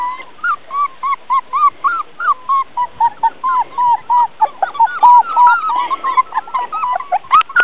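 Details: Border Collie puppies playing together on a lawn on Pancake Day; a rapid, continuous series of short, high, whining yips with faint overtones, about four per second, keeps going for the whole stretch.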